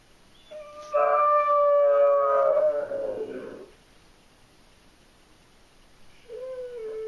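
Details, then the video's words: Separation anxiety sets Abby, a German Shorthaired Pointer, howling: one loud sustained howl of nearly two seconds dissolving into a rough fade, then a quieter howl starting near the end. "GSP howling at the moon"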